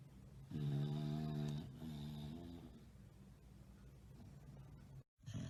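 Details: Bulldog napping and snoring: two rattling, nasal snores in a row, the first louder and about a second long, the second softer, followed by quiet breathing and a brief cut.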